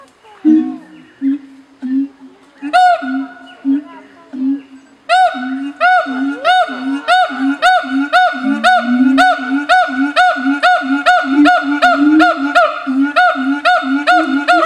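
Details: Siamang gibbons, a breeding pair kept on two islands at Taronga Western Plains Zoo, Dubbo, calling to claim territory as part of their bonding ritual; spaced deep hoots build into a long, rhythmic run of loud barking whoops above resonant low booms.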